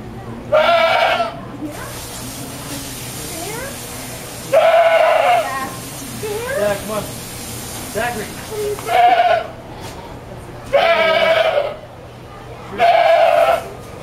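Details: Domestic goat bleating angrily while being washed: five loud, quavering, harmonic bleats, each about half a second to a second long and spaced irregularly across the recording, with quieter human voices and splashing-like noise in between.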